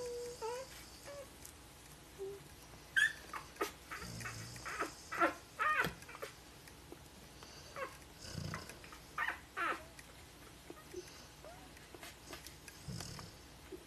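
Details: Five-day-old Golden Retriever puppies from a 2013 litter give faint, high squeaks and brief whimpers among soft rustling.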